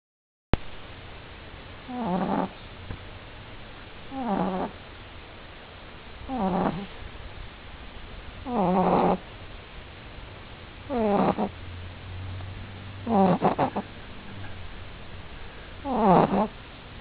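A French Bulldog puppy snores in rough, fluttering bursts about every two seconds.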